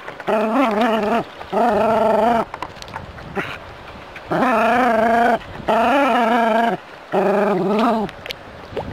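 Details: Jack Russell terrier living in the city, squaring up to a rat snake, lets out four long, loud, warbling yowls, each about a second or more, wavering in pitch and separated by short pauses.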